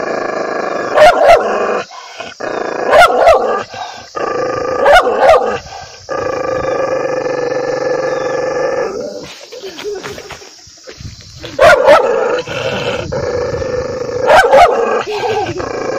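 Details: An angry dog barks loudly in quick doubled and tripled bursts. A sustained, harmonic growl runs between them. There is a brief quieter lull midway before the barking resumes.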